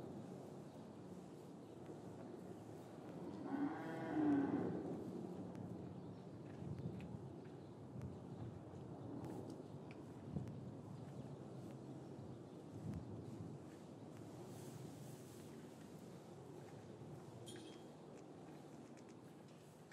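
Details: Cattle lowing in a traditional English cattle yard on a winter afternoon, calves separated from their mothers; one drawn-out low moo around mid-clip, then quieter shuffling, knocks and faint yard noises, recorded with a matched pair of microphones.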